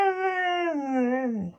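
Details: Husky-type dog giving a single drawn-out howl, a steady tone that sags lower and fades out after about a second and a half, with no other sounds.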